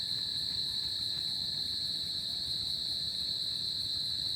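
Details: Summer-night cricket chorus, an even piercing trill sustained without pause, paired with a softer higher-pitched band and a dull low hum underneath.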